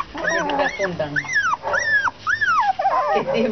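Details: English Cocker Spaniel puppies, about 30 days old, in a litter; several high whining yelps rise and fall in quick succession, overlapping, with a woman speaking Spanish nearby.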